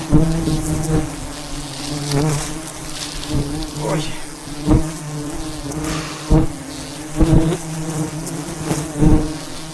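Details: Thousands of wild bees swarm around a giant hive high above the ground in the mountains during a traditional honey harvest; a dense, steady low drone hums throughout, broken by sharp knocks and rustles of handling.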